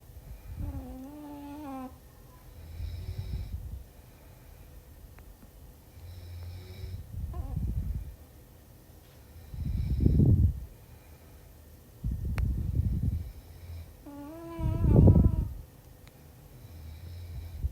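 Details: Puppy snoring: slow rough low breaths repeating about every two to four seconds, with a couple of brief higher whining or squeaky vocal sounds over the snores, indoors.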